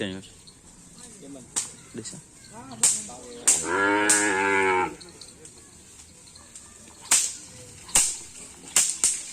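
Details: Cattle at karapan sapi bull racing practice on the Asemanis field in Pamekasan: one long, steady harmonic moo of about a second amid sharp clacks and knocks, with faint human voices earlier.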